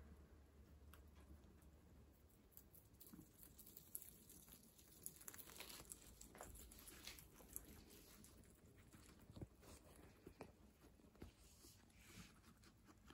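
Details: Guinea pigs munching fresh herbs; soft irregular crunching and nibbling clicks scattered through the clip, with a few louder crisp bites, quiet indoors.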